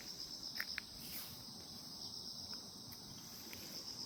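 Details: Insects calling on a calm morning: a steady high-pitched continuous trill with faint clicks over low rumbling background noise.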